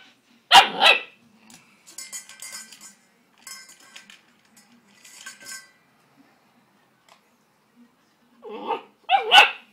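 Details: Greater Swiss Mountain Dog puppy, 10 weeks old, upset at feeding time at his own reflection in the bowl: one sharp bark, then faint scraping and clinking, and two more rough barks at the end.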